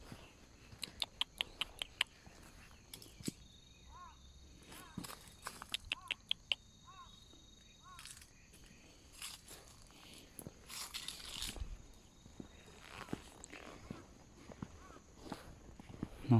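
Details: Abandoned kitten heard crying by the roadside during a motorcycle touring trip, giving a series of short, arched, plaintive meows spaced about half a second to a second apart, over sharp clicks, footsteps and outdoor background noise.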